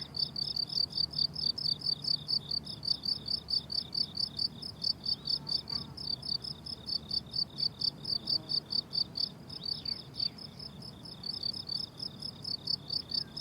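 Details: Crickets calling on a summer meadow in bloom: a long, even stream of sharp high-pitched pulses, with a few faint slurred whistles from a distant bird.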